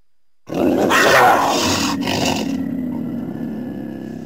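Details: Cougar (Puma concolor), growl.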